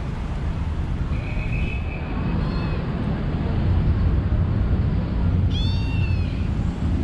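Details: Friendly kitten living with street vendors, met on a city street: two high, thin meows, the first a long flat mew, the second a brief downward-bending cry, over constant rumbling traffic.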